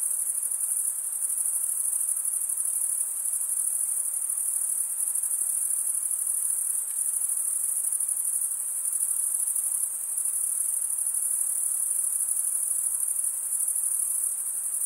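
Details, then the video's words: Steady chorus of stridulating crickets, usually males, forming one piercing high continuous buzz with faint pulsing and slight dips in volume, the only sound present. "Most relaxing cricket sound"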